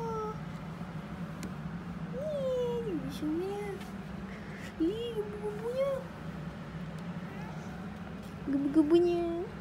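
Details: Cats of British Shorthair, Maine Coon and local village breeds meowing indoors: three wavering rising-and-falling meows spaced a few seconds apart, the last broken and chirpy, over steady hum and people talking in Malay.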